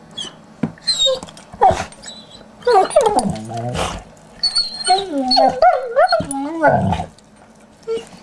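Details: Pair of puppies at play, giving wavering high whimpers, bent yelping squeals and rough growls in clustered bursts separated by short pauses, with brief human voice nearby.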